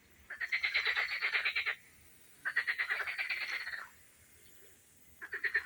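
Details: Frogs sing from a garden pond in southern Odesa region, Ukraine, while peonies bloom, giving rapid pulsing trills that each last over a second before a short pause.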